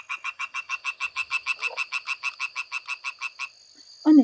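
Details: European tree frog calling on a summer night gives a fast, rhythmic series of loud, harsh knocking croaks, about five per second.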